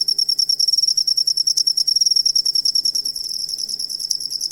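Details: Cricket chirping, recorded as a tutor sound to teach songbirds: dense, shrill, high pulsed trill with fast regular beats, slightly softer toward the end of the short stretch.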